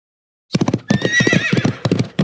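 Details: A horse whinnies with a high, wavering neigh that falls and trembles over about a second, while rhythmic hoof clip-clops sound loudly before, during and after.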